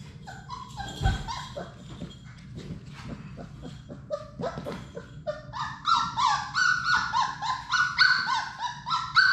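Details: Playing Labrador Retriever puppies, a litter of six in an indoor play room, give scattered squeaky yips at first, then a run of rapid, repeated high whining cries, about two per second, over soft scuffling.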